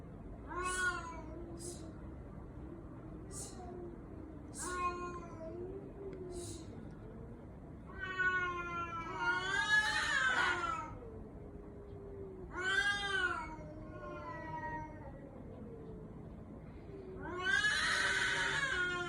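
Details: Cat whose cries resemble a human baby's voice, giving a long series of meows: short clipped calls early on, then longer, louder wailing meows that bend up and down in pitch. The room is otherwise quiet.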